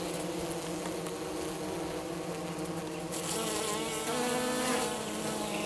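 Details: Hive of Minnesota hygienic honey bees south of St. Paul on a 50-degree March 16, removing dead from the bottom of the hive; humming drone that grows louder and brighter halfway through as bees fly close.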